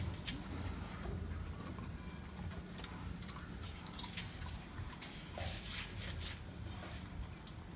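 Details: Low outdoor rumble, like passing traffic, with scattered clicks and rustles and no clear animal voice.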